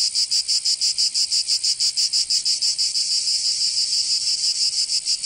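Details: In southern France's Provence in summer, cicadas produce a high, grating buzz that beats in evenly spaced pulses about three times a second, swelling slightly midway; no other sounds.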